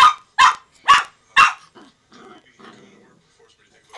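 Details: Playful Brussels Griffon Miah gives four loud, evenly spaced barks about half a second apart, then softer grumbling, growly sounds trail off into near quiet.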